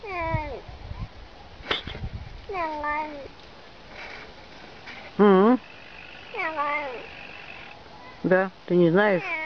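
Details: Domestic cat in a comic talking-cats compilation, giving short bent meows that dip and rise, spaced a second or two apart, some louder and strained, over steady background hiss.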